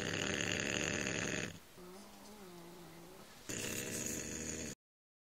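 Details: Snoring from a sleeping bulldog: two loud, coarse, buzzing breaths about one and a half seconds long, broken by a quieter pause carrying a faint low wavering tone, then silence at the end.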